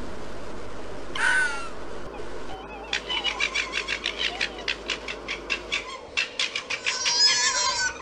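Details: Fox in mating season gives one brief hoarse scream, then a fast stuttering chatter of short raspy pulses, several per second, ending in a longer harsh burst, against quiet background noise.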